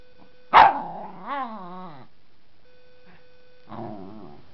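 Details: Dog barking and growling playfully while squaring up to a wooden baseball bat: one sharp bark, then a wavering, rising-and-falling harmonic growl. After a short quiet gap comes a lower rumbling growl, over a faint steady background tone.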